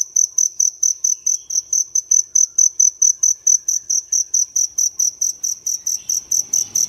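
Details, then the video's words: Indoor field cricket (dế lửa, fire cricket) hidden in a crevice of an urban home early in the morning; sharp, high chirps repeat regularly a little over twice a second, with a soft rustle near the end. "Nghe tiếng dế ở Thành phố nhớ lại tuổi thơ"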